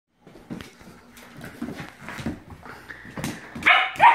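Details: Australian Shepherd puppy being attacked by a bottle brush, giving scattered, irregular yips and short barks over background clatter, with a louder burst of sharp yelps near the end.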